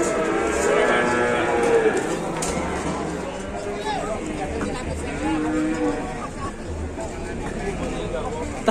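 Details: Cattle on unloading from a truck after one got squeezed, the animal described as ill and tired; soft, drawn-out lowing in the middle range, partly masked by broadband noise and a few sharp knocks.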